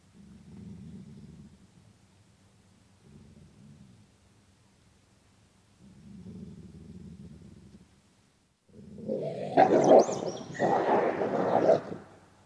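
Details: Gray wolf (Canis lupus) growls angrily at another wolf, which flees: low, rumbling pulsed growls breaking into a loud, harsh snarl.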